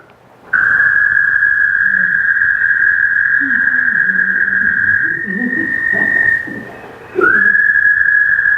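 An American toad gives a long, steady, high musical trill that holds one pitch for several seconds.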